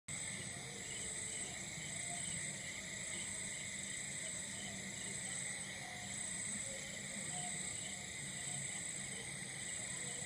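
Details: Crickets calling in the darkness on a Goan night in India, a dense steady chorus of high continuous trilling bands layered at several pitches, unbroken across the whole stretch, with a faint low rumble underneath.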